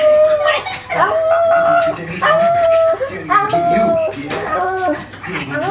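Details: A male pug named Magoo reacts to seeing himself on television with strange vocalising: a string of drawn-out, steady whines and wavering yelps about once a second, with people talking in the background.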